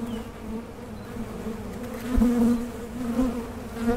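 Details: Buzzing honey bees around a beekeeper's Mason jar honey super, an even low-pitched drone that grows louder around the middle and again at the end as bees fly nearer.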